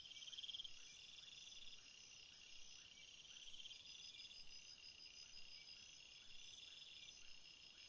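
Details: Cricket chorus at night: several overlapping high, thin, steady trills, with soft chirps repeating roughly once a second underneath and a high trill dropping out midway.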